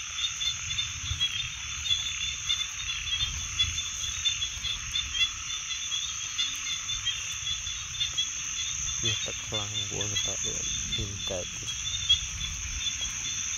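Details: Frogs in a night-like chorus: a burst of rough, rasping croaks with a rich buzzy tone near the end, set against a constant shrill insect drone and a low background hum.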